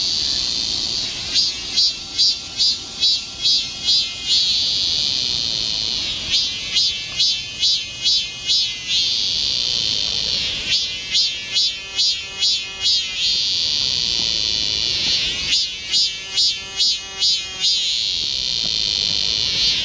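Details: Cicada song in summer forest at Galsan Park, Yangcheon-gu, Seoul, South Korea: four bursts of rapid, regular shrill pulses, each lasting about three seconds and separated by shorter pauses, over a constant background buzz of other cicadas.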